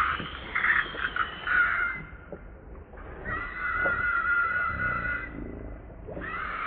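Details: Hungry baby monkey crying and begging its mother for milk: long, drawn-out, high wavering wails in three bouts, separated by short pauses, over a faint rustling background.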